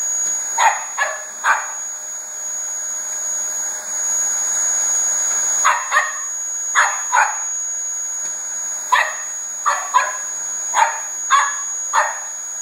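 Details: Koko, a two-year-old Border Terrier, challenges a Dyson vacuum cleaner with repeated high, snappy barks, mostly in pairs and small clusters about a second apart. A droning motor with a high whine runs underneath.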